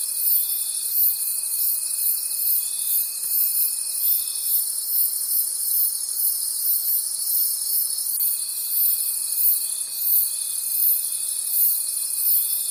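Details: Crickets trilling through the night in a forest setting; a thick, high, rhythmically pulsing chorus runs throughout, with a thin constant tone that stops midway and later returns.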